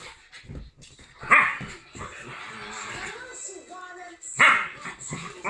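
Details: Two best-friend dogs, a Rhodesian Ridgeback and a Lhasa Apso x Jack Russell cross, play together, giving two sharp, harsh barks a few seconds apart with soft whines between.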